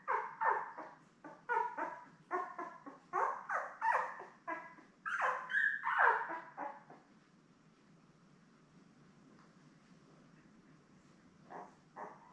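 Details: Labrador Retriever puppies about ten days old, seven littermates with mother Belle, on a live puppy cam. Quick repeated squealing yelps for about seven seconds fade to near silence, then two last cries.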